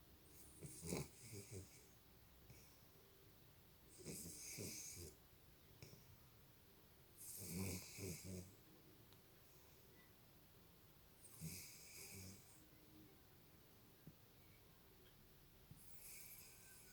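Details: American Cocker Spaniel snoring like a human: harsh, rattling snores about every three and a half seconds, each a short rough burst with hissy breath, over a quiet room background.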